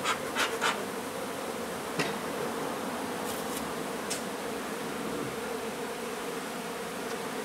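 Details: Dense, unbroken hum of a honey bee swarm during removal of a hive from an old renovated home in Donna, Texas, with a few sharp clicks and knocks at the start and scattered taps later.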